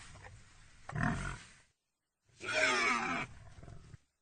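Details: Pig making a single low, rumbling grunt, then after a short silence a loud, strident squeal lasting about a second that trails into softer grunting.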